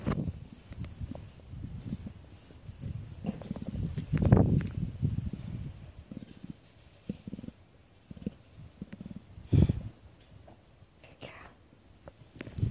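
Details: Two African spotted leopards, one a 65 kg male, start their day purring in low, rumbling pulses that swell and fade irregularly, at a wild cat centre in South Africa.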